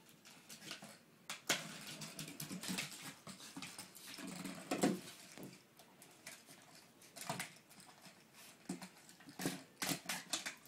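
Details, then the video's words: A puppy at play indoors with a plastic water bottle: repeated sharp crinkling bursts and pattering paws across the room, then a short sneeze toward the end, quiet room tone between. "puppy is easily amused + SNEEZING"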